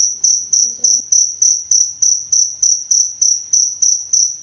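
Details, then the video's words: Steady shrill cricket chirping meant for tutoring songbirds, pulses about three per second, with a brief low murmur early on beneath the insect. "Suara Jangkrik Untuk Pemasteran Dan Terapi Burung Kicau"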